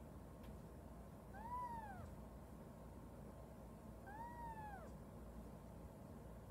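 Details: Orphaned kitten, a little under three weeks old when taken in, meowing while straining to urinate for the first time: two thin, arched meows about three seconds apart over a steady low hum.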